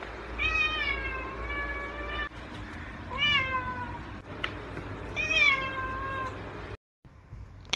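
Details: Pet cat in a compilation of funny cat moments gives three long, wavering meows about two seconds apart, each bending upward then sliding down, over a low background hum, ending in a short silence.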